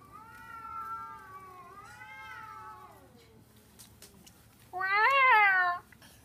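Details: Cats in London fighting over a garbage container: long wavering yowls rising and falling over three seconds, a pause, then a sudden loud, strained, higher-pitched wail near the end.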